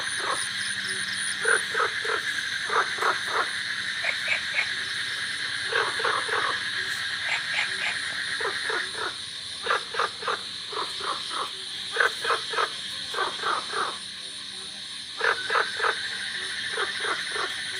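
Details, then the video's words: Golden frogs and cola frogs calling in a village during the rainy season: bursts of short, rapid pulsed croaks repeated in clusters about every second, over a continuous high, steady drone of crickets. "বর্ষায় গ্রামে_Golden frogs_cola frogs_and the sound of crickets."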